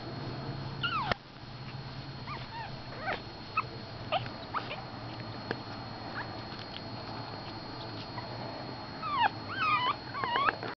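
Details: Four-week-old Pekingese puppies give high, thin whimpers and squeaky yips in short, irregular bursts.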